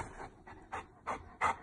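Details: Butters, a Saint Bernard, talks back when told it is bedtime: five short, breathy, moaning bursts spaced about a third of a second apart, the later ones louder, in a quiet indoor room.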